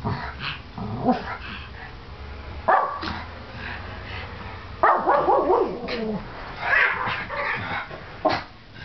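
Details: Two Pomeranians in a barking contest, barking back and forth: sharp high yaps and yips in bursts around 1, 2.7, 5, 6.8 and 8.3 seconds, some drawn out and wavering, with quieter whining between.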